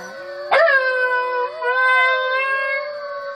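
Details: An Alaskan Malamute gives a long, steady, mid-pitched howl in reply to recorded wolf howls played from a YouTube video.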